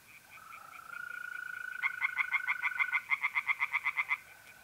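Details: Tree frog singing by night in a North-East Italian pond, mid-April. A soft mole cricket trill opens, then a quick run of loud, pulsed croaks rises in strength for over two seconds before fading back to the cricket's steady buzz.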